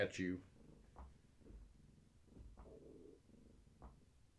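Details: Low rumbling purr from Gaia, a heavily pregnant long-haired tabby, resting indoors against someone holding her steady; the pulsing purr runs continuously after a short burst of human speech at the start, with a few soft clicks.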